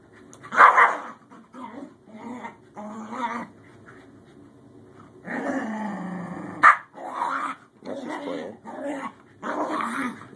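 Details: Newly adopted male Scottish Terrier named Bjorn meeting older sister Savannah, starting as an apparent conflict over who is boss and turning to play; bursts of rough growling and short barks with pauses, a person speaking briefly.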